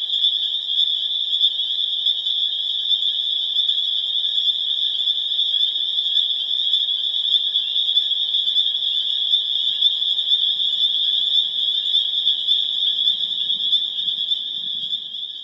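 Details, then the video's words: Massed spring peeper chorus recorded in April in Harvard, Massachusetts, building to a crescendo; high, insistent peeps blend into a constant shrill drone, with a faint low rumble toward the close. "Spring Peeper Chorus Builds to a Crescendo"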